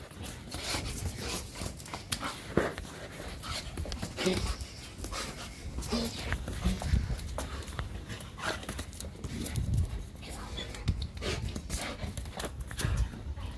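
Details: Evo, a German Shepherd on day 412, excitedly greeting his returning owners: breathy panting and scuffling bursts over a low rumble, with human voices talking nearby indoors.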